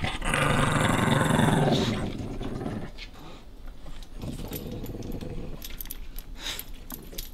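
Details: Fierce small dog Nash guards his favorite bone from a playful puppy named Carla: a loud, rough, pulsing growl for about two seconds, then quieter rumbling growls with scuffling and clicks.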